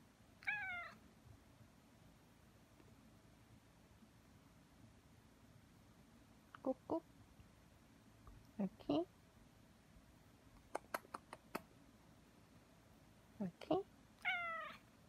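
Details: Cat kneading with its owner indoors, giving short soft meows at the start and end, with faint brief sounds and quiet Korean speech between them in a hushed room.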